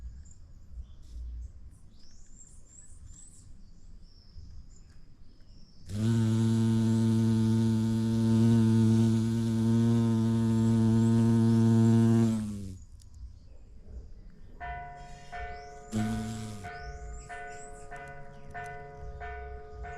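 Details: Bumblebee drawn to a vibrant yellow orchid, filmed outdoors in natural light: a loud, steady low droning hum holds for about six seconds, then a second short burst follows, with faint bird chirps and whistles around it.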